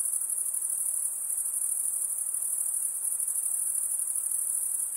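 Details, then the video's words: High, thin insect chorus sustained without a break, a bright shimmering buzz with slight rapid pulsation, constant in loudness from start to finish and with no other noticeable sounds. "Relaxing high pitched INSECT sounds"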